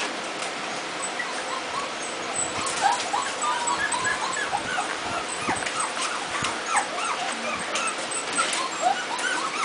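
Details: A litter of puppies just over a month old fills the space with many overlapping high, squeaky whimpers and short chirping yips, rising and falling in quick bursts over a steady background hiss.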